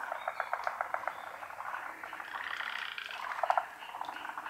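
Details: Many frogs chorusing at a pond, hidden from view: rapid clicking pulses overlap with longer rattling trills, forming a busy, steady wall of croaks.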